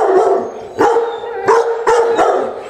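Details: Akita Inu at its first dog-training session in Čačak, Serbia, 2020, giving a run of five abrupt, resonant barks, each with a sustained tonal ring, about every third of a second.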